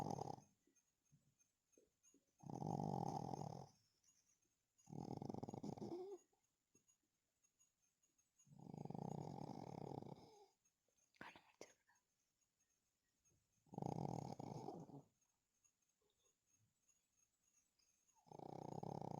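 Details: Pug in deep sleep, snoring: six long, rasping, throaty breaths, each lasting about a second and spaced roughly three seconds apart, with near silence between them indoors.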